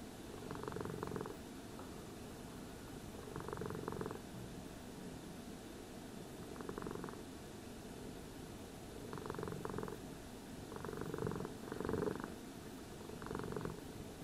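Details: Cat purring while being brushed, a low rhythmic rumble returning in short surges roughly every two to three seconds, quieter between, with faint brush rustle.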